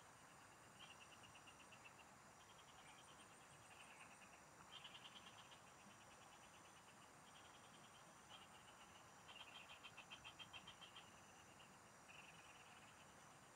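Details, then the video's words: Several frogs singing in the fields, recorded during a fishing trip: faint bursts of rapid, high buzzy pulses, each lasting about a second and repeated in clusters, over steady insect whining and a soft rural hiss. "Pikinggan mo Ang MGA huni Ng MGA Palaka SA bukid| Relaxing Frog Singing"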